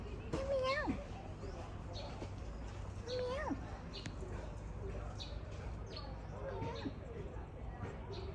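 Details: At the century-old Khlong Sip Song market in Lam Luk Ka, Pathum Thani, Thailand, in January 2025, an oddly coloured cat mews twice, short falling meows about three seconds apart, over background voices and market noise.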